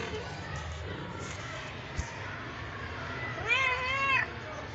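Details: Pet cat uttering a single clear meow late in the recording, a slightly wavering, harmonic cry lasting under a second after a stretch of quiet room noise with one faint click.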